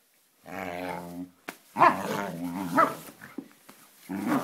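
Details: Friendly play fight between a Samoyed and a Siberian Husky, heard as long, rumbling harmonic growls that rise and fall, broken by a sharp bark-like yelp and a sudden click, then growling again.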